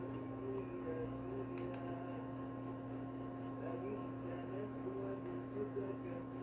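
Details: Cricket sound meant for sleeping and repelling mice: steady high-pitched chirps pulsing about four per second after a short pause at the start, a single click partway through, and a low steady hum beneath.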